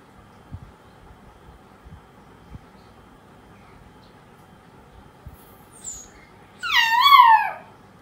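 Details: Lonely poodle puppy, left by itself, gives a rising then falling high whine near the end, wavering and drawn out, after several seconds of quiet room noise with a brief faint squeak just before.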